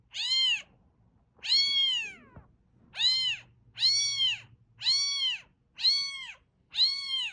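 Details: Domestic cat, fluffy and grey, meowing to attract a cat: seven loud arched meows, the second drawn out and falling away, the rest short and evenly spaced, with a low electrical hum underneath.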